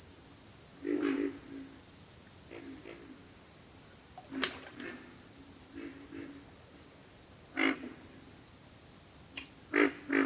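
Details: Deep, raspy pig frog grunts sound singly and in short groups at irregular intervals, some close and loud, others softer, against a steady high insect drone.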